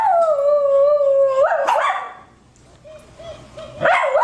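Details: A loud dog howl, one of four dogs shown howling strongly: a long steady tone that breaks into a rough yelp, followed by softer wavering notes and another sharp rising cry.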